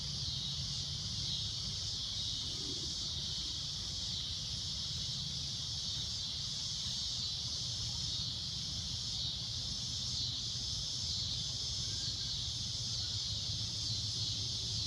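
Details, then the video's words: At sunset a cicada keeps up a shrill, steady droning buzz for the whole stretch, swelling slightly in gentle pulses, with low ambient rumble underneath. "Cicada A Loud Shrill Droning Noise"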